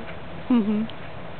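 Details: Happy dog giving one short whine, a brief tonal whimper lasting about a third of a second that rises slightly and then settles, over a steady low background hum.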